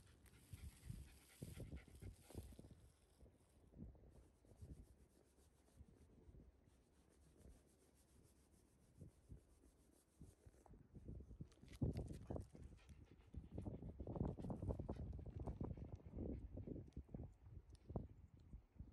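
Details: Shiba Inu Ranmaru, a shaggy dog that feels the heat, on a midday walk on a cloudy, windy day, stops contentedly partway through. Rapid breathy panting pulses at about two per second, quieter at first, then louder and denser in the second half.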